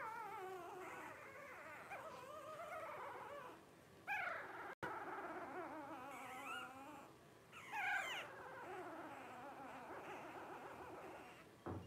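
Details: Blenheim Cavalier King Charles Spaniel puppies, 12 days old, from a litter of five born to Paris and Spike at New Year 2023, whining almost nonstop with wavering, rising and falling squeals and a few sharper yelps.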